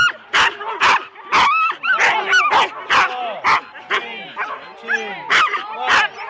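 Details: Four-dog Husky teams at a sled race start, Rendlesham, January 2016, taped on analogue cassette: loud separate barks about twice a second between rising and falling whining yelps from several keen dogs.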